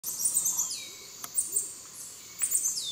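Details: Black-mantled tamarin near Yasuni, Ecuador, giving very high, thin whistles that slide downward, in two bursts about two seconds apart, with faint chirps between them and quiet forest background.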